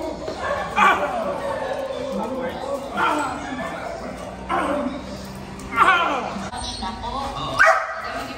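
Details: Belgian Malinois in personal protection training giving single loud barks about every two seconds, each burst sharp and broadband, with a person talking continuously underneath.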